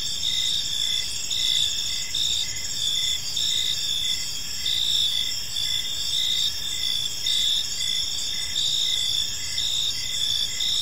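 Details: Park crickets at dusk sing together in a thick, shrill chorus of rapid pulsed chirps, several pitches stacked and steady throughout, over quiet background noise.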